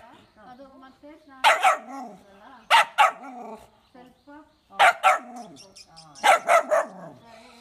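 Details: Pomeranian spitz dog barking in four short bursts of two or three sharp yaps, spaced about every one and a half seconds, with soft whining sounds between.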